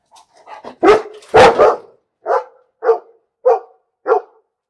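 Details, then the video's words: Domestic dog barking: a few soft yips build to two loud, broad barks, followed by four shorter, evenly spaced barks about every 0.6 seconds in a quiet indoor setting. "Bellender Hund - Hunde bellen"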